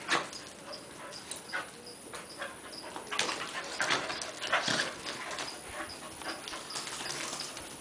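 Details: Two dogs, Nina and Buddy, with Nina trying to get Buddy to play during her visit; breathy huffs and short yipping bursts cluster mid-clip over a steady background, with faint repeated high chirps throughout.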